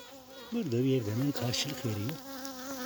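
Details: Newly emerged honey bee queen in a requeening hive holding several queen cells, piping at 8 pm to assert dominance over rival queens: a loud harmonic toot, one long note followed by two shorter pulses, with faint hive hum behind.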